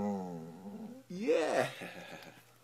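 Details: American Staffordshire Terrier indoors giving a drawn-out, tonal vocalisation: a steady moaning note, then a louder whine that swoops up and falls back, answering a person repeating "I love you".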